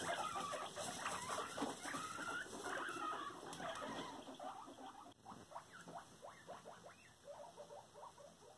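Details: Pet guinea pig Cuddles, indoors and caught bullying another guinea pig: short rising squeaks come in quick runs over a muffled, rustling background, then trail off into scattered softer chirps.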